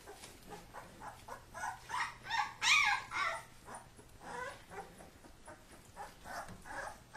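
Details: Kuvasz puppies at play-fight, their father looking on, let out rapid sharp yelps and whines, loudest in a bright cluster midway, then trailing into softer irregular yips.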